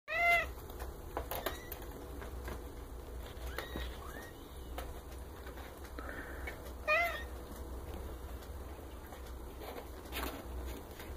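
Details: Newborn Maine Coon kittens from a litter of ten, born March 29–30, black and grey marble, tortoiseshell and wild colours; short high thin mews near the start and again around seven seconds, with soft background hum and rustling between.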